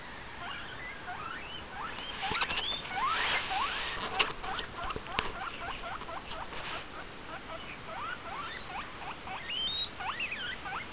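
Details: A pet guinea pig (Cavia porcellus) gives a fast run of high, rising squeaky whistles repeated several times a second: wheek calls.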